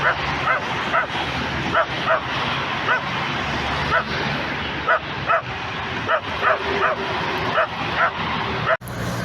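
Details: Dog giving short, sharp barks repeated roughly every half second to second over a steady hiss of background noise, ending in a brief cut.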